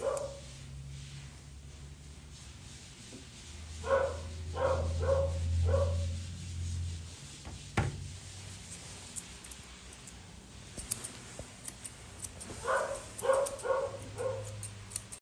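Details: Poodle mix under grooming barks in two bursts of three or four quick yaps, with a low humming drone, one sharp knock and faint snipping between the bursts.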